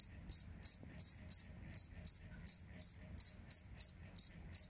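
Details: Jangkrik kalung, the two-spotted cricket, sounding for songbird song-tutoring: a brisk series of sharp, shrill chirps, roughly three per second, evenly spaced and metallic, with little else audible.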